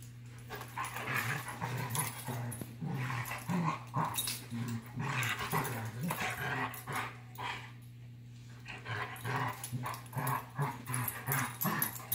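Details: Dogs, a Labrador and a Giant Schnauzer, facing off: continuous low, rumbling growls in quick uneven pulses, with a steady background hum.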